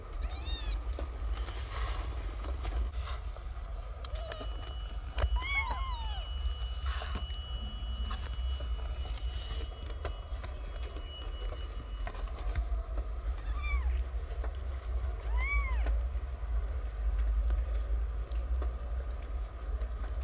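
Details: Newborn kittens, part of a litter of nine born to a stray mother and living in cat houses in a safe zone, learning to suckle; high arched mews come a few at a time over a steady low hum.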